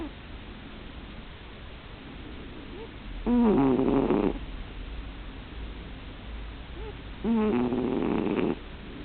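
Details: Pet cat in deep sleep, snoring loud: two strong rasping, buzzy inhalations about four seconds apart, each about a second long with a wavering pitch, between soft quiet breaths in a still indoor room.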